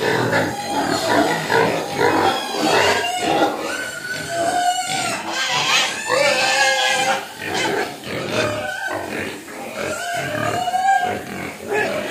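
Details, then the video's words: Hungry pigs crying for food, many loud piercing squeals in pulsing bursts, some long tonal wails rising and falling, grunting between, a noisy crowded pen. "Babi Nangis Minta Makan"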